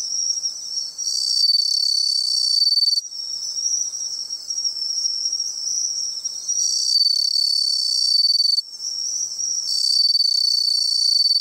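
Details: Bell cricket song recorded on a seaside outing: clear high ringing notes in repeated bursts a few seconds apart, layered over a continuous shrill insect chorus.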